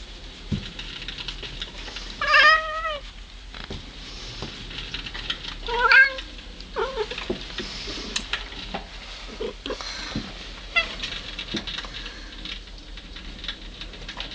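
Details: Cat at home, talking to birds in a recording from 25 January 2009: two or three short, clear meows with a gently bending pitch, spaced a few seconds apart, among soft clicks, taps and room noise.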